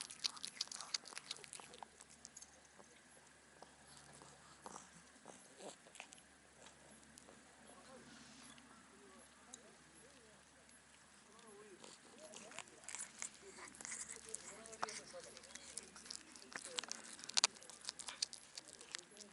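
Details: Black cat on a cat island, crowding the harbour near anglers, devouring fish the anglers gave it: a steady stream of wet, crunchy clicks and crackles, quiet and close, thickening toward the end.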